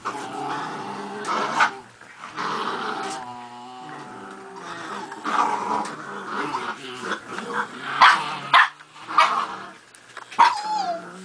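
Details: Miniature Pinschers tugging on a toy, with harmonic growls that swell and fade, a steady rumbling stretch in the middle, then snappy growl bursts and a short high whine near the end.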